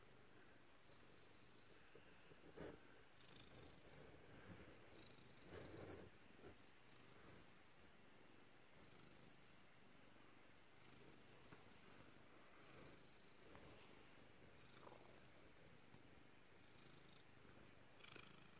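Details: Peppa, a female black pet cat, purring quietly over a long stretch; a low, steady rumble broken by occasional soft clicks and rustles.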